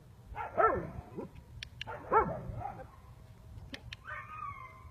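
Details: Gala, a 17-week-old female sable German Shepherd pup in early protection training, gives two sharp high barks about a second and a half apart, followed by a drawn-out thin whine, with light clicks and handling noise.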